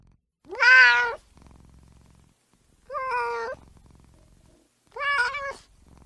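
A kitten gives three high, thin meows spaced about two seconds apart, the first the loudest.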